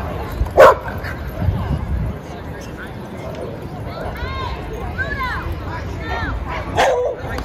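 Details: A single loud bark opens, and another closes, as dogs play in a Brooklyn dog park; between them people talk in the background over steady low rumble.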